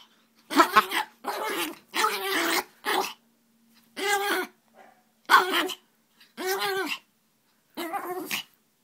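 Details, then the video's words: Aria, a hyper female puppy, during indoor play: seven rough, noisy growl-barks of about half a second each, spaced roughly one second apart, with a faint steady hum underneath. "Hyper Puppy! Aria Hits her Head on Bed"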